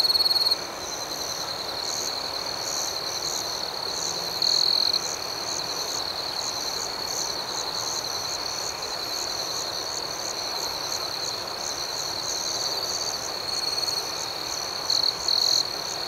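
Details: Crickets chirping outdoors at night, a constant shrill trill under a quick, rhythmic pulsing. Brief louder bursts come at the start, around four and a half seconds, and twice near the end.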